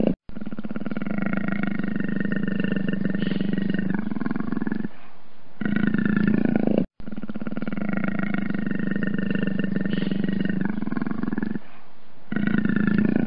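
A leopard gives a long, deep, rumbling growl that pauses briefly, then rolls on again.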